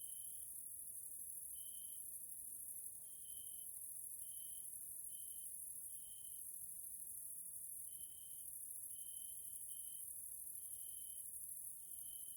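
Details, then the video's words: In a Central European nature area in Hungary, grasshoppers sound in the evening: a continuous piercing high drone, overlaid by quick tonal chirps, about a dozen spread over the stretch at uneven intervals. "grasshoppers sounds in nature area Hungary Central Europe"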